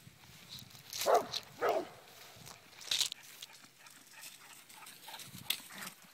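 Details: English Springer Spaniel playing at home gives a few short, sharp barks, spaced irregularly over several seconds.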